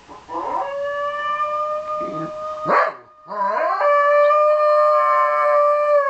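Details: A male Shetland Sheepdog, a pet, howling along after hearing a recording of his own howl. Steady, sustained tonal howls with a short break near the middle, then a long, even, held howl to the end.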